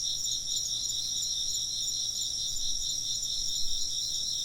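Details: A chorus of insect voices forms a continuous high, pulsing trill. Several layered bands waver slightly as overlapping callers chirp without pause over a faint low background hum.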